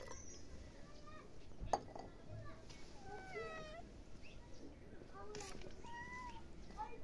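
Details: Domestic cat meowing: several soft, drawn-out harmonic meows, one bending downward near the middle and another rising and falling toward the end, over a steady hiss of background noise.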